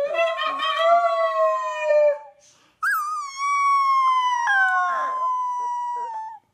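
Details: A baby dog howls: a steady wavering note for two seconds, a pause, then a higher howl that jumps up, settles and is held long and nearly flat before fading.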